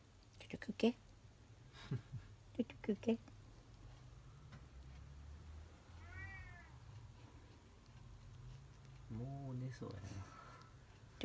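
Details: Kitten indoors while being fed milk and resting, giving a few short, rising then falling mews around the middle and end, with soft human speech and handling noises throughout a quiet small room.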